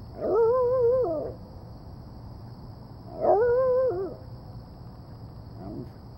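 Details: A female Shiba Inu gives two strong, drawn-out, wavering whines about three seconds apart, then a fainter third, as she tries to get a kitty to play with her. A steady high electronic hum runs underneath.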